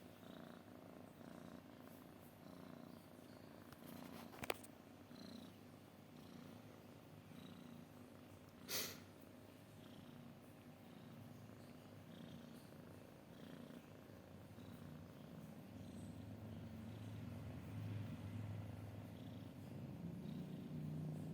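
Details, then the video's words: Cat purring in a deep, rapid rumble that grows louder and fuller toward the end, with two brief knocks early on. "kucing mendengkur"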